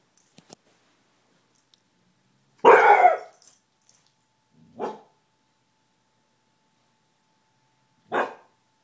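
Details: Pet dog Gordie barks at someone in the hall outside the door, something he does rarely and mostly at night. One strong, rough bark is followed by two softer, shorter barks a few seconds apart, with faint clicks and shuffling before.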